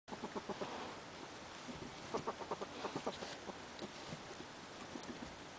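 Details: Pedro, a pet ferret described as one of the most vocal in the household, recorded 9/3/2011, making a rapid run of soft clucking pulses, several per second, in short bursts with brief pauses between them.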